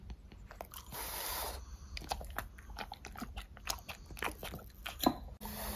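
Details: Fruit-eating French Bulldogs: a hissy rustle early on, then rapid crunchy bites and chewing clicks, one loud snap near the end, indoors at close range.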